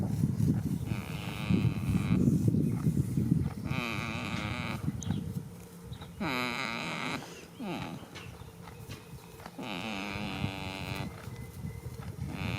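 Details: Sleeping goat in a field on the first day of spring, snoring in a run of nasal, quavering groans about a second long. Breathy pauses separate them, and low rumbling wind noise dominates the opening seconds.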